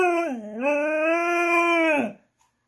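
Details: A female Siberian husky, "talking" back after being told no while wanting her treat, gives a drawn-out, wavering howl that dips, then rises and holds steady.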